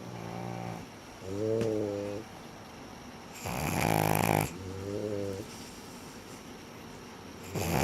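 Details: Two pet dogs, Sara and Ran, snoring: nasal, harmonic inhaled snores with a wavering pitch alternate with loud, rough, hissing exhales, each lasting about a second, in an indoor setting.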